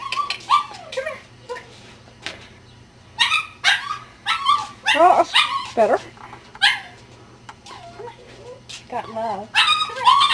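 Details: Ten-week-old Cardigan Welsh Corgi puppies, a litter, yipping and whining: high, rising and falling squeals and short yips in bursts, mixed with people talking and a steady low hum.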